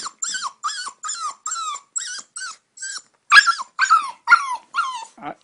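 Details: Eight-week-old puppy begging to sleep in the bed, giving a run of about a dozen short whimpering yelps, each bending up then down, in quick succession, the later ones louder and rougher.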